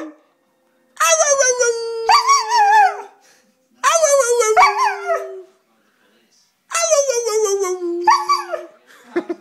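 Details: An Alaskan Malamute howls along with its owner, giving three drawn-out, wavering howls with short pauses between them.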